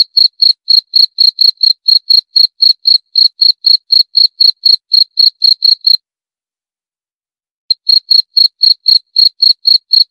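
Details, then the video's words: Cricket calling with rapid, high, ringing chirps, about four a second, stopping for nearly two seconds of silence and then starting again; nothing else audible. "29 Menit Suara Jangkrik - 29 Minutes Cricket Sound Effect"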